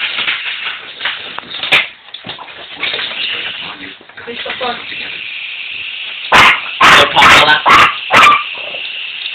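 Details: Toby and Tilly, two puppies facing a remote control helicopter, let out a quick run of five loud barks near the end, after a stretch of human talk.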